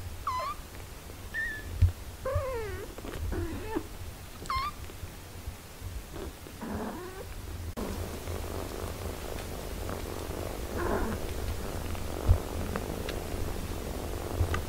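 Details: A mother cat with her eight-day-old kittens, nursing them; a cluster of thin, high mews and one bending call in the first half, then mostly muffled rustling and hum.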